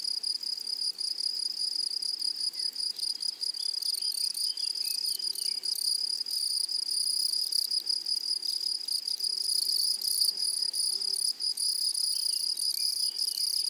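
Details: Grasshoppers in a flowery meadow: a steady, shrill, high-pitched buzz with a brighter overtone, trembling in fast, unbroken pulses throughout, with faint rustling beneath.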